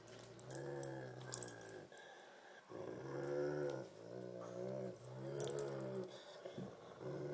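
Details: Thumper, a Great Pyrenees, and Baby Huey, a Tibetan Mastiff, tussle over a tug toy. Long rolling growls rise and fall in stretches of a second or more, broken by brief pauses and faint rattling.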